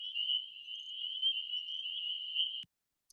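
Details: A spring peeper chorus calling from a Kentucky wetland, many high-pitched whistled peeps blending into one steady, piercing tone; such choruses can start as early as January on warm rainy nights.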